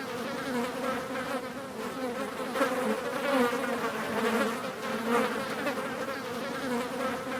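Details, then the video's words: Several flies buzzing: a continuous droning hum with a steady low tone and its overtone, pitch wavering slightly as individual buzzes swell and fade over one another, with no other sounds. "Мухи жужжат, звук мухи (Flies buzzing"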